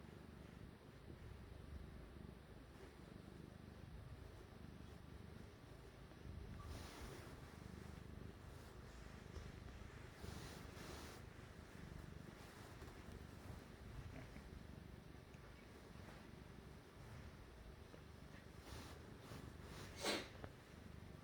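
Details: Cat at work kneading, a soft low purr droning underneath, interrupted by several brief scratchy rustles and one sharp tap near the end.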